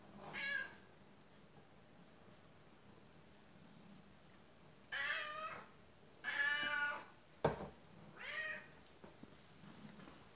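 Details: Faline, a domestic cat being trained indoors to obey commands, gives four distinct harmonic meows, the first short and the later ones longer and wavering, separated by quiet pauses, with one sharp click partway through.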